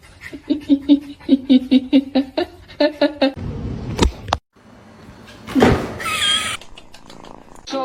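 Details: A kitten gives a run of short, evenly spaced meows, about a dozen quick mews in a row, followed by rustling, a thump and brief higher squeaky sounds.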